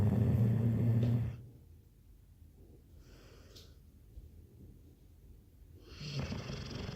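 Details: Sleeping Labrador Retriever: a deep, rumbling snore fades out early, then a long hushed breathing pause, and a softer rasping snore begins near the end.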